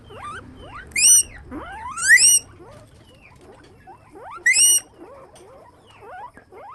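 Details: Rodents in a guinea pig cage, often kept as pets, let out three loud upward-gliding whistled squeaks at uneven intervals, surrounded by many quiet, brief rising chirps.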